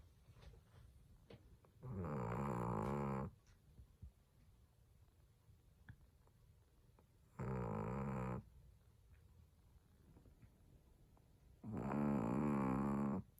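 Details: Snores from a sleeping pet Chihuahua, likened to an old man's: three rough, buzzy, harmonic breaths roughly every four to five seconds, each about a second long, with quiet room hush between them.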